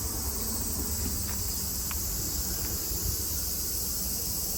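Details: Summer cicada chorus in Japan, 2022: an even, sustained shrill whine fills the clip, with a few faint brief clicks and steady low background rumble.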